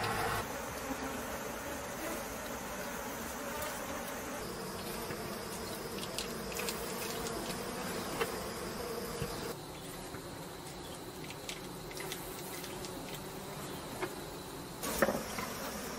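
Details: Bees dispersing and leaving a hive on stone as a man waves a leaf over them during honey extraction; a steady low droning hum of many bees runs throughout, with brief clicks and scrapes.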